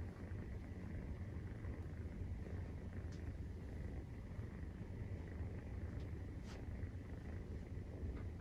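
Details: Nursing-time purr from a Maine Coon cat with 43-day-old kittens: an unbroken low throbbing drone that stays even in loudness, and occasional faint clicks.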